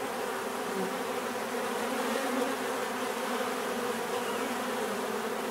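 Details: Dense swarm of bees humming in a steady, unbroken drone, the layered buzz holding a low mid-range tone with no pauses and no other clear sounds.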